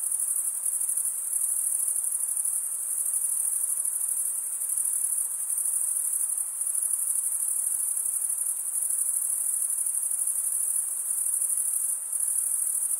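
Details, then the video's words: A constant high-pitched cricket chorus with a dense, fizzing, unvarying texture and occasional brief brightenings. The background is otherwise quiet. "Most relaxing cricket sound"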